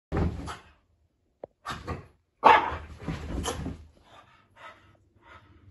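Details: A female French Bulldog puppy gives a few short, rough barks and huffs indoors while having zoomies on a sofa.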